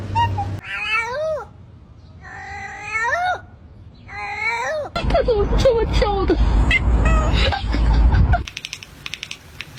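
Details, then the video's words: Domestic cat meowing three times, each a bent, whiny call dipping then rising, followed by several seconds of loud clattering and mixed noise. "the sound of a cat's meow"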